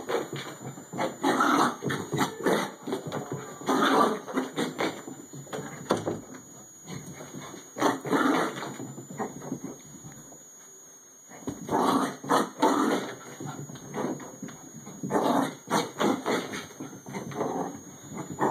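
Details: A 14-year-old female Bichon Frise running laps of her shortened "Bichon racetrack", with bursts of rough, breathy snorting and grunting that come in clusters and break off into short pauses.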